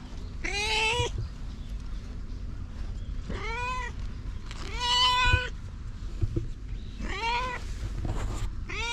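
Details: Stray cat giving a series of short, bright meows, each under a second and rising then falling. They come at irregular gaps of about two to three seconds over a steady low rumble.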